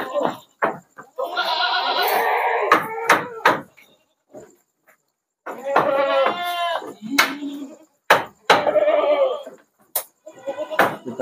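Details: Night shipment of sixty goats to Jambi, Indonesia; several harsh, quavering bleats at intervals of a few seconds, mixed with sharp knocks, clatter and brief talk near the truck.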